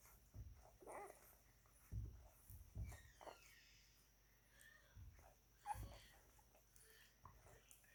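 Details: Newborn German or Belgian Shepherd pups at nine days old feeding on milk, letting out scattered brief whines and squeaks among dull thuds and handling noises indoors.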